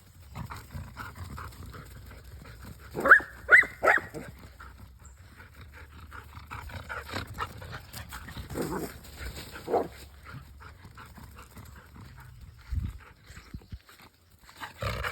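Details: Puppies at play, outdoors, give a few short, high yelps in quick succession early on, then scattered softer, lower yips and grunts against a quiet background.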